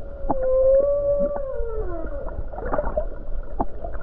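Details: Humpback whale singing near the coast of Hawaii on a calm day among numerous whales: a long, clear tonal moan that holds steady, then bends and slides downward, followed by scattered clicks and brief upsweeps over a low rumble.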